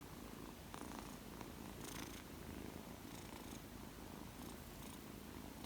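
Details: Purring of a two-month-old male Persian kitten, newly arrived in a home: a soft, continuous low rumble with steady pulsing texture, occasional faint rustles above.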